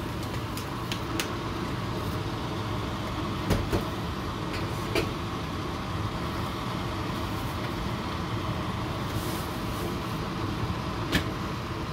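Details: Constant engine-like rumble with occasional clicks and knocks, no animal voice.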